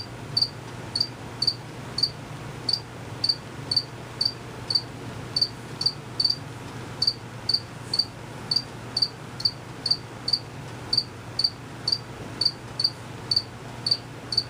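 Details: Male crickets, not visible, chirping steadily: crisp high-pitched pulses around twice a second, sometimes paired, continuing through the whole stretch above a faint low drone.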